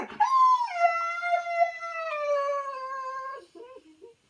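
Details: A Siberian Husky gives a single drawn-out howl. It starts high, dips slightly and holds a clear, slowly falling tone for about three seconds, then trails off into a brief, soft whimper.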